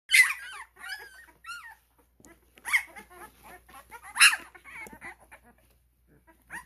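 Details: Twelve-day-old Cane Corso puppies at a kennel, several pups squealing and whimpering together in high, wavering cries with brief bursts and short pauses between them.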